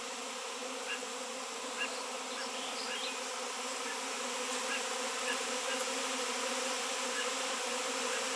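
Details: A swarm of honey bees reacting massively to a raw 7 lb piece of shungite, in an area where none had been seen for years; a dense, constant buzzing roar with layered hum bands and a bright hiss.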